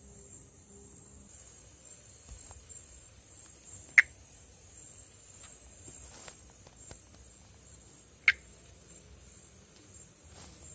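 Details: Perereca-macaco (Pithecopus nordestinus), an arboreal frog of northeastern Brazil that breeds on foliage above water, calling during amplexus. Two brief dry clicks roughly four seconds apart against a constant high-pitched insect hum.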